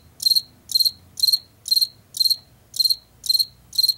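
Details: Field cricket from Washington, heard in late summer and fall in fields and forest edges: high, pulsed chirps of about three to four rapid pulses each, repeated roughly twice per second in a steady rhythm over a quiet background.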